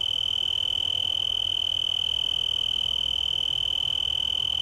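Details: A male tree cricket (Oecanthus sp.) singing from a yucca leaf in Garden of the Gods park, Colorado Springs, Colorado, on September 24, 2015, gives a steady, pure, unbroken trill.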